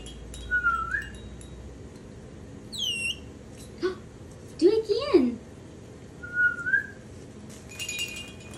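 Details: A baby spider monkey, asked to whistle, gives short thin whistles, some steady and some sliding downward, while a person talks.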